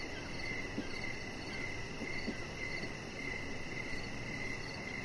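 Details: Crickets in the evening outside by a deck where a chihuahua puppy lies, chirping in short high bursts at a loose rhythm, a little softer and less even, over steady low background noise with a few faint ticks.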